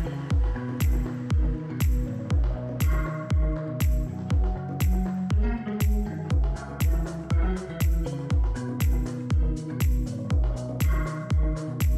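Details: Steady electronic dance music with a regular thumping beat about twice per second, bass-heavy, with no animal sound heard.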